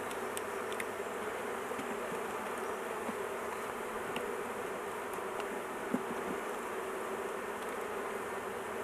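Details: Steady, even drone of a honey bee colony during a hive intervention, with the queen held in a cage to avoid crushing; faint ticks and one small tap scattered through the buzzing.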